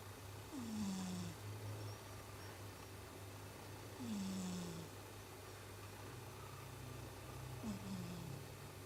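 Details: Chibi, a pet cat, snores like a person while asleep: three slow, low, falling rasps with soft breathy hiss, one roughly every three and a half seconds, over a steady low hum.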